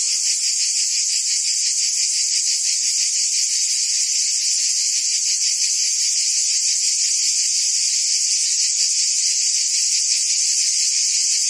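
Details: Cicadas in woodland trees keep up a continuous high whine with a clearly pulsed lower layer, nearly three pulses a second. The chorus is steady and even, with no other noises.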